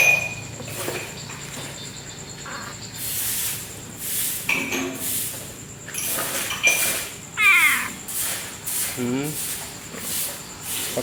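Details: Si Meong, the talking coffee-shop cat from Aceh, Indonesia, who stays up through the night until dawn: two short meows, the first sliding downward, the second lower and buzzy, amid human speech and clattering café noise.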